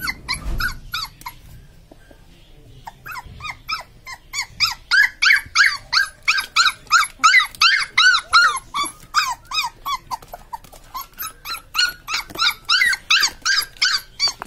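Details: Litter of newborn Labrador Retriever puppies: after a brief thump and near silence, continuous high squealing whines build up, many overlapping harmonic chirps repeating roughly three times a second.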